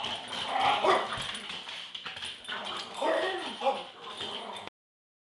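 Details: A Boston Terrier taunts a 16-year-old deaf, arthritic, semi-blind Smooth Fox Terrier female near the end of her life, who fights back; play fighting with harsh growls, yips and whimpering in short bursts.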